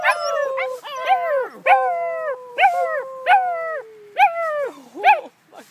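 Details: Young puppies from one litter howling in a chorus: repeated short rising-then-falling howls, roughly one every half second, overlapping with a longer sliding howl.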